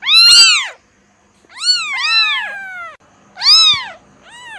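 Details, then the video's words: Kitten giving four meows: a loud high whine, then two long, falling, drawn-out cries, then a shorter one, separated by quiet pauses. "SUARA ANAK KUCING"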